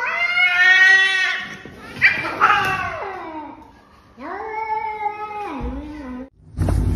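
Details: Domestic cat meowing indoors: a long drawn-out wail that slides downward, a short break, then two more falling meows, with a burst of noise at the end.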